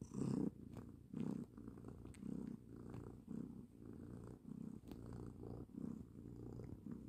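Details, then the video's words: Domestic cat snoring, soft low rasping breaths repeating about once a second, each a brief muffled rumble with quiet gaps between, in a quiet indoor space. "Funny and cute cat snoring"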